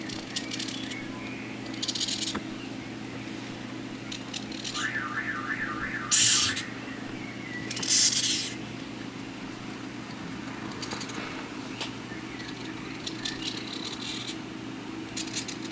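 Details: Madagascar hissing cockroach (Gromphadorhina portentosa), hiss.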